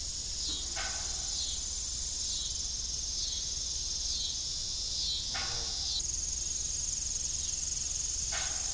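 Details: High, continuous cricket trilling on an evening farm near an old windmill with broken blades, joined by a few brief sharp knocks that stand out against the steady insect drone.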